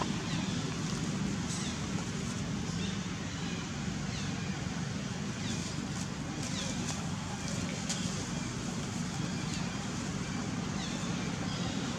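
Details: Steady low rumble of wind and engine noise with faint background voices, and no animal calls. Only a broad hiss and a few brief clicks sit above the continuous low-frequency drone.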